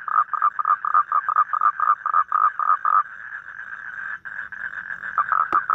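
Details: Toads calling in rapid, evenly spaced nasal croaking pulses, several each second, that blur into a continuous churring trill as more than one toad calls at once.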